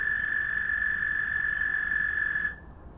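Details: Night chorus of frogs calling one another: a sustained, level, high trill running unbroken for about two and a half seconds before stopping sharply into quiet background.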